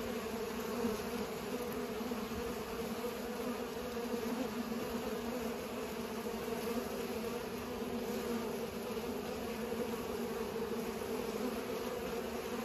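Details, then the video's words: A long, steady drone of pollinating bees, the buzzing hum holding constant with gentle fluctuations and no other distinct sounds. "Bees are pollinating"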